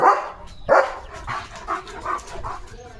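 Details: Leo, a pet German Shepherd, after fast running and play: two loud, rough bursts half a second apart, then four softer, shorter bursts about every 0.4 seconds, with low background noise.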